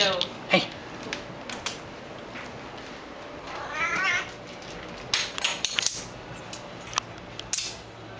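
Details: Singapura kitten Lord Pepper playing fetch with a bottle cap in a hallway while another cat, Goose, watches; one short mid-pitched meow midway, amid sharp clattering taps of the cap and scampering.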